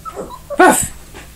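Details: One of the 4-week-old Belize/Riggs puppies gives a single short, sharp yip, with quieter squeaky whimpers just before it.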